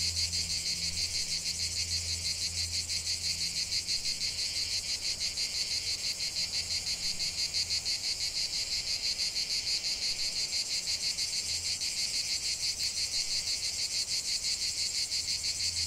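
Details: Chorus of cicadas in a natural setting: continuous shrill buzzing with a rapid, even pulse, over a soft low drone that fades in and out.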